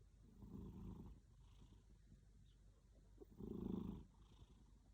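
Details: A pet cat snoring while asleep: two long, low, rough rasping breaths about three seconds apart, each lasting under a second, with quiet pauses between them.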